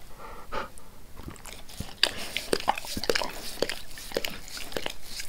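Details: Indoors, the dog Max keeps licking his owner's face, which he always wants to do; sloppy wet slurps and tongue clicks repeat unevenly, with faint breathy sounds between licks.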